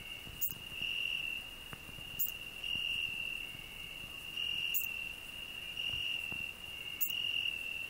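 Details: High, steady trilling song of a cricket on a rose bush, where a grasshopper also sings, rising in loudness in phrases with occasional sharp clicks.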